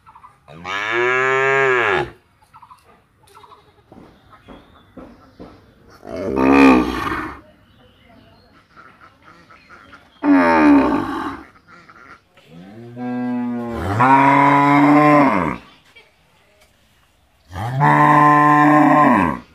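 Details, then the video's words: Village cows at Rosulpur mooing five times in about twenty seconds, each call a full harmonic moo of one to two seconds that arches in pitch, separated by quiet gaps with faint rustles. "9 Cow Mooing - Whose Voice Is Good | Cow Sound, Cow Hamba Hamba At Rosulpur"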